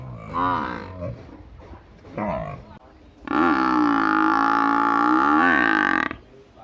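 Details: Big village buffalo giving a long, loud, steady low call with rich harmonics lasting about three seconds, preceded by shorter grunting sounds.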